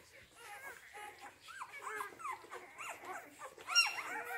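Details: Rhodesian Ridgeback puppies from the C litter at Letsatsi kwa Africa kennel, born 8 June 2019, giving short high whines and squeals that bend up and down, several voices overlapping in quick succession.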